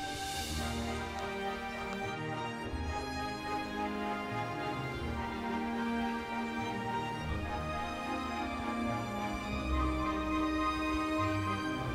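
Soft, tender background music plays throughout, with no animal sounds.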